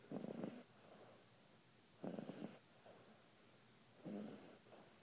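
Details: Shar Pei puppy, six weeks old, snoring while asleep: three soft, raspy breaths roughly every two seconds, each a short rattling snore with quiet pauses between.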